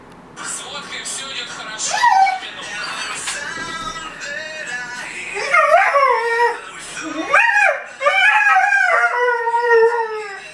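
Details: Dalmatian puppy, 4.5 months old, howling when the alarm clock rings: long wavering howls rising and falling, several drawn-out notes between about six and ten seconds, with a human voice and a ringing tune early on.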